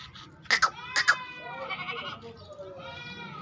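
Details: A three-month pregnant, white-eyed Barbari goat offered for sale in Hanumangarh, Rajasthan, India. It gives a drawn-out, quavering bleat that wavers in pitch, preceded by sharp knocks and followed by a softer second bleat, with faint voices nearby.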